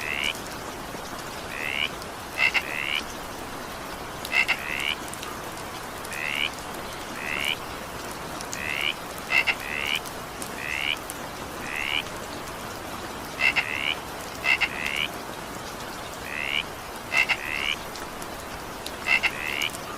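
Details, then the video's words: Evening rain with a frog calling steadily: upward-sliding croaks roughly every second or so, some preceded by crisp double ticks, set against constant rain patter and hiss. "20 minutes evening rain sound effect with frog sound."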